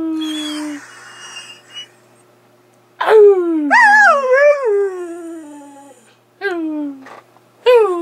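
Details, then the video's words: Skyy, a pet dog, while playing; sliding whining and howling notes that rise then fall, wavering at times, in bursts with silent gaps, with faint speech in the background. "Skyy Playing"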